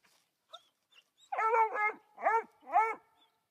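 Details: Dazey, a three-month-old female Black and Tan coonhound, treeing her first raccoon and barking up at it. Four high, ringing barks: a quick pair, then two more spaced evenly, with faint small yips before them.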